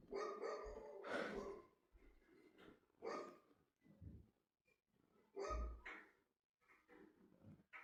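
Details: Domestic dog barking indoors, several sharp harmonic barks and yips in irregular bursts with brief pauses, in a small room.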